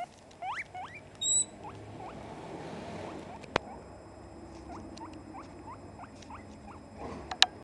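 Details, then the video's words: A female guinea pig gives a run of short, rising squeals, the wheeking she uses to beg for food. "Sol - Porquinho-da-Índia"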